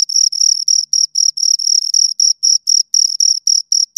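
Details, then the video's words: Two crickets stridulating at close range: short, sharp, high-pitched chirps in a rapid regular series, about four bursts each second, with clean silence between pulses. "Two Crickets Chirp Sounds"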